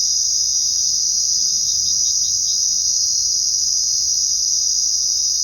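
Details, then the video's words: Crickets chirping at night: a dense, unbroken high-pitched trill from many insects holds steady throughout, with a brief run of quick pulsed chirps standing out around the second mark over a quiet low background. "Crickets Sound at Night | Crickets Chirping at Night"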